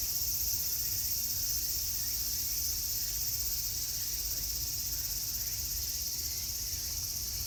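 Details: Steady high, hissing buzz of many cicadas in summer at Meiji Jingu shrine, sustained without pause, slightly louder at the start, with low background rumble underneath.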